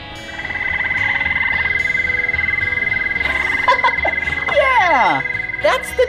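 A toad gives a long, steady, high-pitched musical trill that holds one even pitch throughout, with people talking over its second half.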